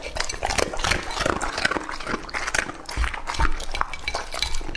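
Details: Lucky, a two-and-a-half-year-old male English-type Labrador Retriever, eating raw meat: wet chewing, crunching and slurping with clinks against a bowl, continuous and uneven.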